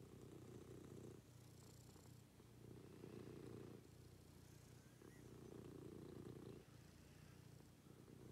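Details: Domestic cat purring during a morning routine with its owner: a steady low rumbling purr in long breaths, each phase about one to two seconds, with brief pauses between inhalation and exhalation; faint hiss in the background.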